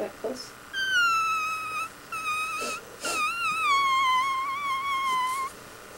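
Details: Kitten giving three high, thin mews indoors, the first two short and steady, the last long, wavering and slowly falling in pitch, with faint speech and small room noises around.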